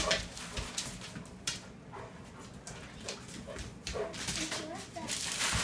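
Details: A Vizsla mother playing with her four-week-old pups; the pups give short, high yips and soft whimpers, with people talking nearby.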